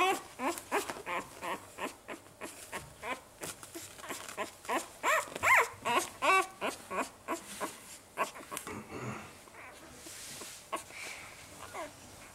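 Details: Saluki litter at five days of age: a rapid run of short yelping whimpers that grows louder midway, then fades into softer scattered whines and rustling.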